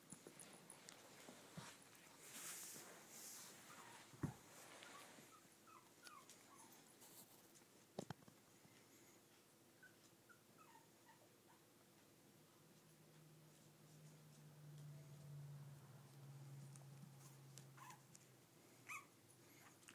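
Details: Mixed Brussels Griffon, Shih Tzu and Miniature Poodle puppies make brief, faint high whines near six and ten seconds amid rustling and sharp clicks, with a low steady hum running through the final seconds.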